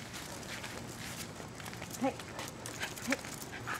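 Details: Two one-year-old Jack Russell Terriers, Jasper and Jaclyn, walked together on a coupler in Lenexa, Kansas, on July 1, 2008; two short high whimpering yelps about a second apart over outdoor background noise.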